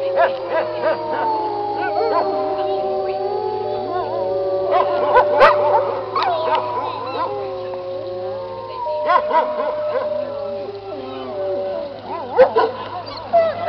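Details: A wolf pack, all since deceased, in an old recording howling as a group: many voices holding and shifting long tones at different pitches, broken by sharp yips and whines, with a low steady hum beneath.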